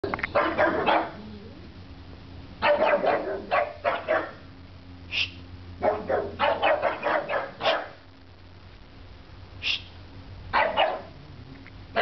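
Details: Pugs barking at nothing; sharp barks in quick bursts of three to six, with pauses, plus a few single higher yips, over a low steady hum.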